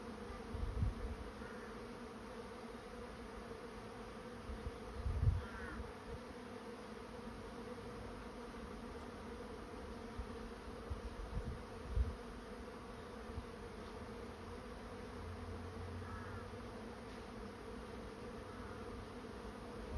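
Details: A constant hum rises from a honey bee swarm moving into a swarm trap, with occasional low bumps and a few faint chirps in the background.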